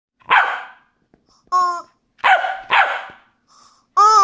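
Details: Corgi named Noodles playing indoors with a squeaky rubber chicken toy, once feared and now a favourite. Sharp, rough barks arrive in short bursts, mixed with the toy's high, tonal squeaks between them.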